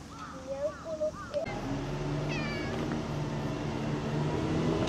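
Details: Stray cat in Japan giving several short, tonal meows close together during the first second and a half, before a loud engine starts up and drones steadily through the rest.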